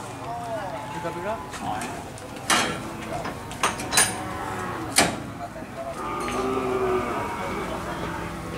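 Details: A collapsed cow that refuses to stand is being helped back onto its feet. A low, drawn-out moo lasts about three seconds near the end. Earlier come a brief lowing sound and sharp knocks and clatter, with voices nearby.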